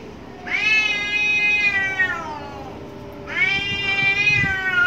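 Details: Cats fighting behind a house, angry: two loud, long harmonic yowls, each starting abruptly high then sliding slowly downward over about two seconds, over a constant low background hum.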